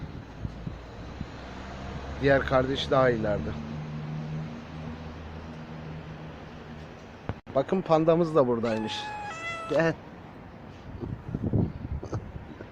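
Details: Street cat, a mother that has just given birth, being followed outdoors while her kittens remain unfound; several drawn-out harmonic meows in two bursts, the later ones higher and wavering, with a person talking and low background hum.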